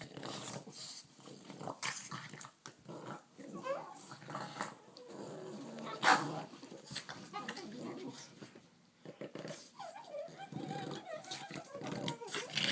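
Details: Two pet dogs, a Bugg and a Boston, bickering and playing: continuous rough play growls and snuffling scuffles with occasional yelps, mixed with human speech and handling noise.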